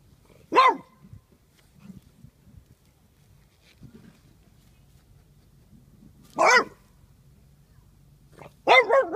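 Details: Young French Bulldog practising barking to stand up to bigger dogs: three loud, sharp, harmonic barks separated by long quiet gaps of several seconds, with faint low rumbling in between.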